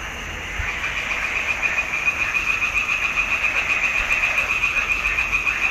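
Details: In a swamp pond during June 2021, frogs give a rapid, regular high-pitched pulsing trill, clicks repeating about three to four per second, building in loudness after a quieter start, with further frogs calling in the background.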